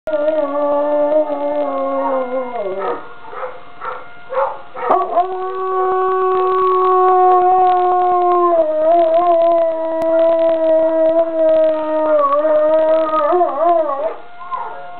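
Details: A puppy named Avalanche howls at a siren from a neighboring school: sustained, wavering tones with rich harmonics that dip and rise, sliding down near the third second before a long steady howl, over the siren's constant pitch.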